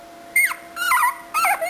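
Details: Three brief, high, falling whimpers from Aportos, an 18-day-old puppy still unable to walk, each lasting a fraction of a second against a quiet background hum.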